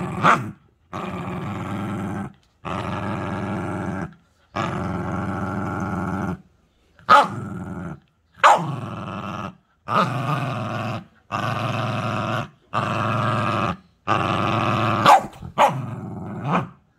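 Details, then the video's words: Cookie, a puppy turned into a cute little beast, growls in long rumbling stretches of about a second and a half. Short silent pauses separate them, and a few sharp yelps break in, with no other sounds. "귀여운 맹수로 변신한 강아지 (소리심쿵주의)"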